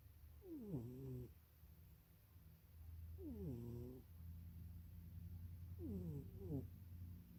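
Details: Munchie, a pet cat asleep in an undersized box and dreaming, snores in three rhythmic bursts about three seconds apart, each a descending raspy snort over a continuous low droning hum.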